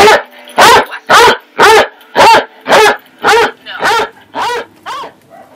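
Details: A Basset Hound puppy at play gives a steady run of high, yelping barks, nearly two each second.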